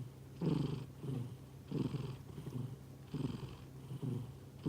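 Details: Sleeping pet cat snoring softly indoors, slow rhythmic breaths with a rough, buzzy rasp on each intake, about one every second and a half, over a steady low hum.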